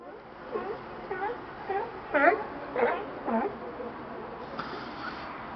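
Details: Lazy sea lions resting on a dock in Astoria, Oregon, bark in a steady series of hoarse, honking calls, each about half a second apart.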